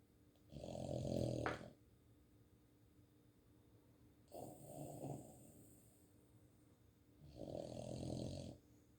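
A Boston terrier snores in slow, rasping breaths, each lasting about a second.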